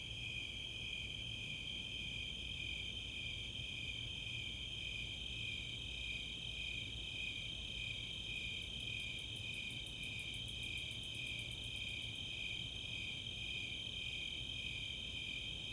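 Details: Summer night chorus of Snowy Tree Crickets and Four-spotted Tree Crickets in the Chautauqua open space, Boulder, Colorado: steady pulsed chirping over a continuous high trill, with a burst of rapid, very high katydid ticks midway.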